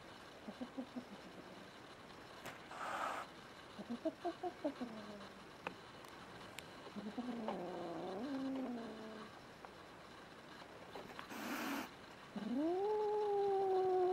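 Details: Female kitten Rin, under a year old and newly adopted in 2016, threatening the household's resident male cat Tama. The clip holds two short harsh breathy hisses amid stuttering chirp-like pulses and wavering moans, ending on a loud, sustained rising yowl.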